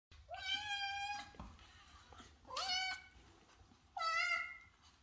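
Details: Sphynx kitten indoors yelling with joy on seeing its owner: three loud, drawn-out meows, each rising then holding steady, rich in harmonics, roughly every one and a half seconds, with faint room noise.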